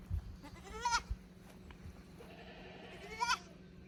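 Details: Young goat kids from a lower pasture visiting the upper pasture of a handmade goat farm in Japan on 15 May 2024, unsure in the unfamiliar place; two wavering, harmonic bleats about two seconds apart over a low steady hum.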